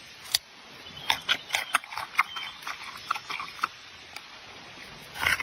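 A giant panda crunches and snaps bamboo, making sharp, irregular cracks and chewing noises.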